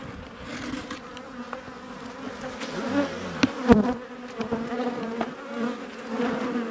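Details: Honey bees buzzing around a hive cutout from a house built in 1850 where the colony lived two years; even, sustained droning hum, occasional knocks and clicks of tools on timber.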